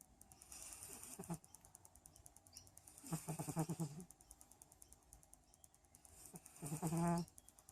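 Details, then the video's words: Domestic cat snoring: three low, rattling breaths about every three seconds, each a buzzy pulsed rasp that swells and fades, the last loudest, with quiet gaps and a faint steady high hiss between. "Cat snoring"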